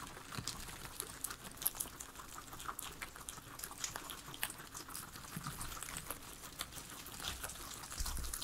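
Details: Pet guinea pigs, three of them, eating veggies in a small indoor space: dense patter of crisp nibbling clicks and crunches, quiet and continuous, no voices or music.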